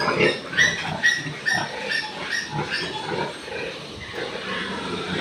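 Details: Piglets born overnight on a piggery farm, from a litter of ten with two weak ones, give short, thin squeals repeated roughly twice a second, fading toward the end, with soft rustling underneath.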